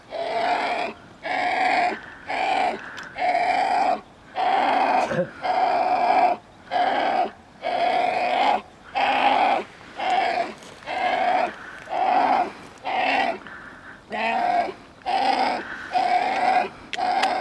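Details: Young coyotes calling to their mother in a long run of short, hoarse, whiny bursts that repeat almost every second, harsh and nasal with a steady middle tone, broken by brief pauses and a faint click.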